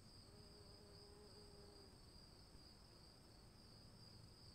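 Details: Crickets calling in the rain: a steady, unbroken high-pitched trill with a fainter, even higher ringing tone above it, over a constant hiss of rainfall and a low rumble; a soft low hum drifts in briefly.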